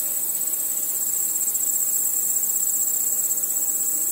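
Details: Nighttime crickets forming a constant piercing high-pitched pulsing buzz, many callers blending into one even, fast-throbbing shrill band with no pauses.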